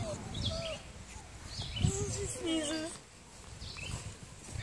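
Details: Twelve-week-old foster puppies, littermates playing outside on their last day with their fosterers, 29 May 2017; several thin wavering whines and yelps overlap, with a person calling them in the background.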